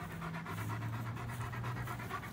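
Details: George, a German Shepherd aged two and a half years and weighing over 90 pounds, pants steadily while enjoying a walk: quick, breathy, rhythmic puffs repeating several times a second over a low, steady hum.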